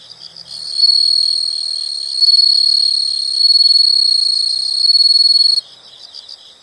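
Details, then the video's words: Loud, continuous high-pitched insect trill from a nature soundscape, a pulsing buzz held for about five seconds with brief dips, then fading back to faint chirps. "the sound of insects"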